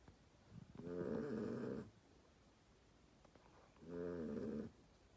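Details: Sleeping dog snoring indoors: two long, rasping, buzzy snores about three seconds apart, each lasting close to a second, with quiet breathing pauses between.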